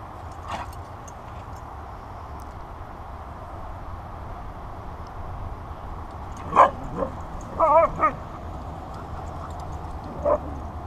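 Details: Siberian Husky Delta playing in the Sunday sun: a faint early yip, then short wavering yowls with clear harmonics around six to eight seconds, a brief trailing yip near ten seconds, over steady low background rumble.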